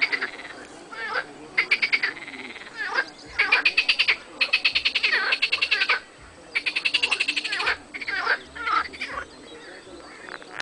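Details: Marsh frogs and edible frogs in a dense chorus, with overlapping rattling, pulsed croaks in near-continuous bursts and brief gaps over a steady noisy background.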